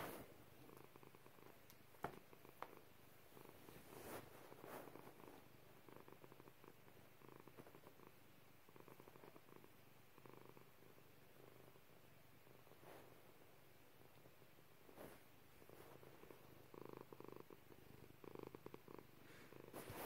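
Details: Continuous low, pulsing purr from Pepper, a female pet cat, rumbling evenly throughout with a few soft clicks and rustles in a quiet room.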